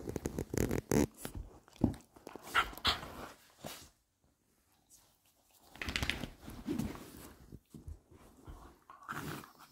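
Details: Two Patterdale Terriers, a male and a female, playfighting: bursts of low, rough growling with snorts and scuffling, a brief silent pause, then another rumbling growl bout.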